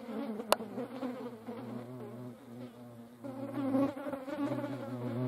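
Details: Two or more European hornets fighting each other give a low, humming buzz with wobbling pitch that grows louder in the second half, with one sharp click early on.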